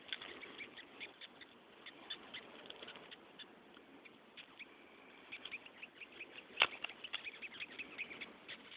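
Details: Red velvet ant (cow killer), a flightless wasp, screaming: faint continuous raspy chittering of quick squeaky pulses, with one sharp, louder click-squeak partway through.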